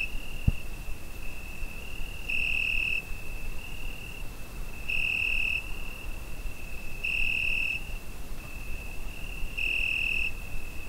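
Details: Cricket on a summer night, recorded with a Zoom H5: a steady high-pitched trill with four louder, brighter bursts of about half a second, spaced roughly two and a half seconds apart, over faint low rumble and one soft click near the start.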